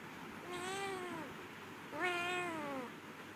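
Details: Two clear meows from a domestic cat, the first falling away, the second starting sharply higher and sliding down, about a second apart in a quiet room.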